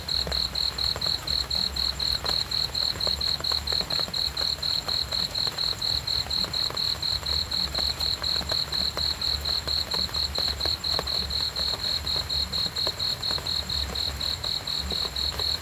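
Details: Continuous high cricket chirping, evenly spaced quick pulses running without pause, set against a gentle low-pitched background hum.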